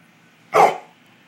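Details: Pet dog at home at night, ordered to speak, gives one short, sharp bark lasting about a quarter second in an otherwise quiet room, followed by praise from its owner.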